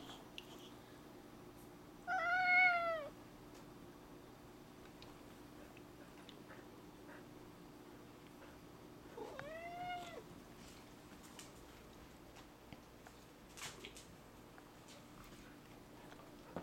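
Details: Male cat, four years old, meowing indoors about a lizard outside: one clear descending meow near the start, a fainter rising meow later, long quiet stretches between, faint room noise.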